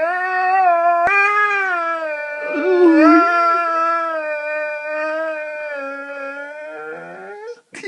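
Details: Saluki Tiggah, a talkative female pet, grumbles about her day in a long, nearly eight-second wavering howl, mostly level with a brief throaty dip midway and a rising squeak at the close, in a small room.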